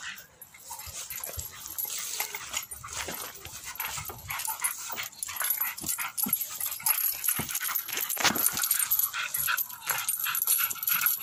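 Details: Jagdterrier pulling on a bite pillow with chain weights added during training; rough, noisy growling and scuffling runs throughout, with sharp clanking and rattling bursts scattered across the recording.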